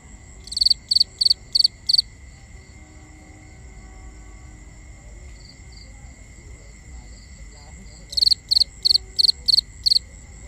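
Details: Crickets at night in binaural forest ambience: bursts of five sharp, high chirps, a long pause, then another five-chirp burst, over a steady faint high whine and low background hiss.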